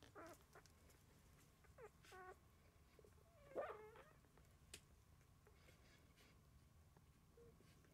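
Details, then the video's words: Dozing puppies make brief high whimpers and yips, a few quick harmonic squeals clustered early, one louder wavering cry in the middle, then quieter rustling and a small squeak, against steady low background hum. "Sanin Koiranpennut nukkumassa"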